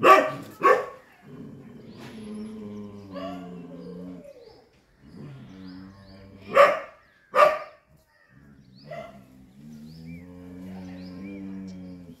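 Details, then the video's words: A Chippiparai dog confronting monkeys gives sharp, loud barks in pairs, two near the start and two more after six seconds, with a low humming drone and faint music filling the gaps. "chippiparai dog fighting monkeys"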